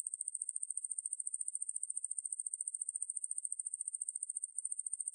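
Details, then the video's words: Shrill, unbroken pulsing buzz of the conehead katydid Ruspolia lineosa, taken from a National Institute of Biological Resources sound collection. Rapid ticks repeat at a steady rate, with one slight stumble near the end. "왕매부리, 여러번 듣기, 곤충소리"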